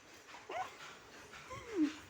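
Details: Playful Labrador Retriever gives two soft, thin whines, the second sweeping downward, while its owner offers it a toy to play with; quiet indoor background.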